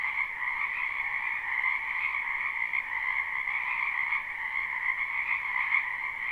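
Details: Many frogs croaking in a spring wetland behind a house, recorded live without looping; a dense, continuous chorus in two steady bands, one high and one lower, with no gaps or other sounds.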